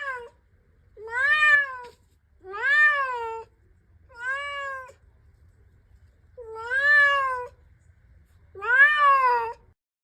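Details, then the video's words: Female house cat acting oddly and repeatedly wanting to go outside; five loud, long, wavering meows that rise then fall, coming every couple of seconds, with nothing else heard. "constantly wanting to go outside and making strange noises"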